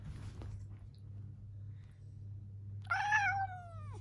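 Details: Domestic cat during a fight with its owner: after nearly three seconds of quiet low hum, one drawn-out, whiny meow that starts loud and slides downward in pitch as it fades.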